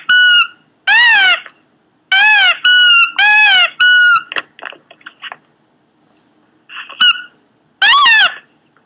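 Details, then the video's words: A Pomeranian gives high, whistly squeals with bending pitch. They come in short clusters, with softer chirpy fragments and silences between them. "cute pomeranian making weird noises"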